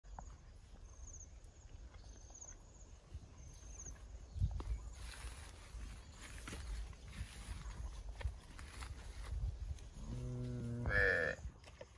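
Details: Cattle, from a recording about cows mating and cows eating placenta. Ten seconds of low rustling, footsteps and rural background come first. Then a single short, deep moo with a stacked harmonic tone rises near the end.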